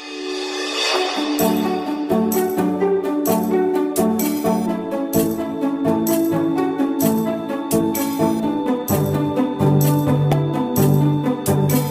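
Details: Instrumental music with steady percussion and tambourine throughout, no animal voices.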